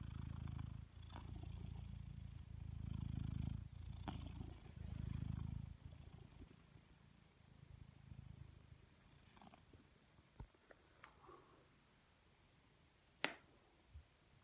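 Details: Lazy blue British Shorthair cat purring deeply, low rumbling bursts rising and falling with its breathing for about six seconds, then quieter purring fading out, with occasional clicks and a sharp tap near the end.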